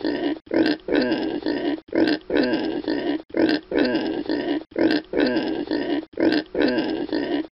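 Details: Pig grunting in a steady series of short, rough, low-pitched grunts, repeating in bursts about every one and a half seconds with brief gaps between, and no other clear sounds.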